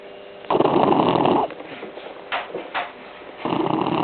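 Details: Tired blue shar pei puppy Arthur, 11 weeks old, sleeping on someone's legs after a sunny day; rough, buzzing snore bursts of about a second, separated by soft wheezy breaths and a couple of brief snuffles, indoors.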